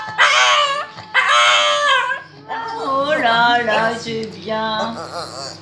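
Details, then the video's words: Shih Tzu dog 'singing' indoors: long wavering howls with rich overtones, two sustained notes in the first two seconds, then a run of shorter rising and falling wavy tones, with voices possibly joining in a small room. "Shih tzu chanteur"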